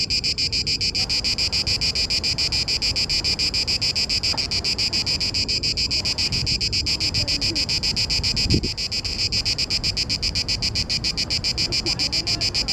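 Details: Cicada orni singing in Parque Eduardo VII. Males make this song in the mating season to attract females. A loud, high, buzzing drone pulses rapidly and evenly, about three or four pulses a second, without a break.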